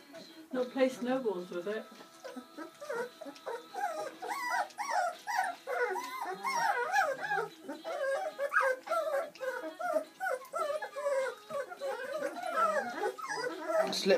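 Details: Seven Bernese Mountain Dog puppies at their first meal on Mothering Sunday, born Valentine's Day 2013: constant high, wavy squeals and whines tumbling over one another, growing denser midway, with a few low growly notes and people talking nearby.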